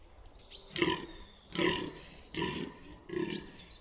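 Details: Fallow deer buck in the New Forest at Bolderwood, grunting four times in quick succession, each a deep, gravelly croak under a second long, with a thin bird whistle behind.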